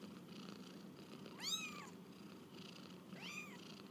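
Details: On their first walk about, kittens give two short arched mews, the first sharper and louder, separated by a pause, with a constant low droning hum underneath.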